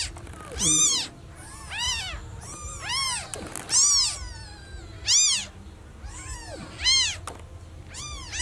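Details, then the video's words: Newborn kitten calling loudly for its lost mother: high, arching meows, each rising then falling, repeated roughly every one to two seconds with quiet gaps between them. "Newborn cat meowing too loudly for mom - Baby kitten meowing very much when lost mom"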